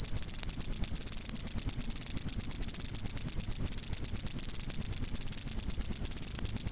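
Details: Cricket sound meant for tutoring cage birds: rapid, piercing high trill made of dense repeated pulses, sustained continuously with one short hitch midway.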